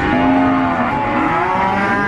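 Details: Cattle at the Nglangon livestock market in Sragen during a pregnancy check: one sustained, low, droning moo with stacked harmonics that holds steady and then fades, under loud, constant market crowd and engine noise.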